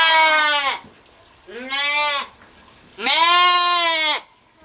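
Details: Sheep bleating, with lambs featured: three loud, rich harmonic bleats, each wavering and slightly falling at the end, the last one longest, separated by short quiet gaps with no other clear sounds.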